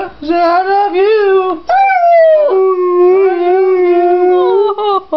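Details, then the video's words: Pit bull and boxer mix dog singing the blues like a hound: long, wavering howls sliding up and down, with brief breaks between drawn-out notes across the whole stretch. "Pit bull blues"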